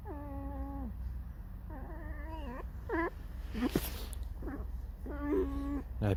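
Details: A tame fox, described as irritated and singing a mournful 'song', gives a string of drawn-out, harmonic squeaking whines. Some fall in pitch and some waver, with short gaps between them, over a steady low indoor hum.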